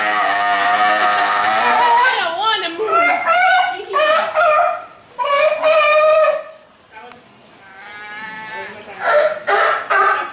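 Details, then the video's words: Harsh, strongly harmonic barks from Maggie, a sea lion, opening with a long drawn-out bark, then choppy repeated bursts roughly twice a second, one gap of quiet before a final cluster; human voices nearby. "Sea Lion's unique barking sounds"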